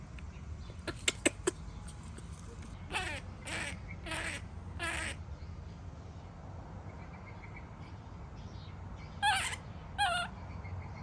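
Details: Baby monkey throwing a tantrum as its mother leaves: a few harmonic, wavering cries near the start, then two sharper rising-falling cries close together at the end over steady low background noise.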